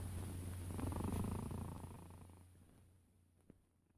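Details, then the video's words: Cat purring in a deep, rapid rumble that swells early on and then slowly fades away toward the end, with a faint click near the close. "Sounds of Cat's Purring"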